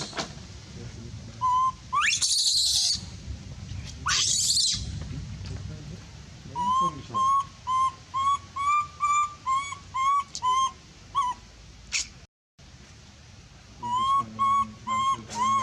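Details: Monkey calling for help: two loud harsh screams, then a rapid string of clear, thin, tonal cries, about two per second, continuing after a brief cut.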